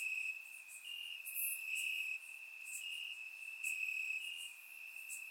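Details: Crickets in grass on a warm summer night in Bulgaria, surround recording: an unbroken high sustained trill, with faint overlapping chirps from other insects flickering above it.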